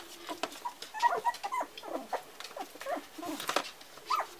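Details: Litter of four-week-old Parson Russell Terrier puppies: many overlapping high squeaks, whimpers and short yelps in a continuous busy chatter, with rustling throughout.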